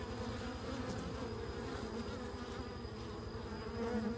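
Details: Bees humming as an unbroken low drone, the buzz staying even and dense throughout with a slight rise in loudness at the very end.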